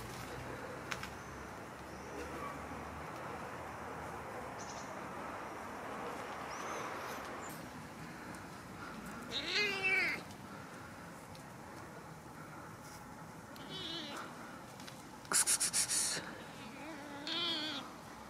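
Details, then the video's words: Male kitten meowing from hunger with no food; soft, fairly faint meows arrive every few seconds, short and slightly wavering, mixed with scattered rattling clicks and a hissy background. "Hungry kitten meow because he is without food"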